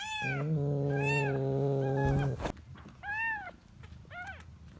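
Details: Kitten looking for its mother: a low steady droning hum fills the first two seconds under two arched mews, then a sharp click, followed by two more high, rising-falling mews over quiet background.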